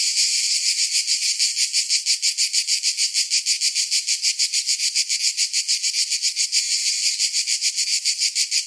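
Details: Cicadas in summer sing a loud, high, steady buzz that pulses about three times a second.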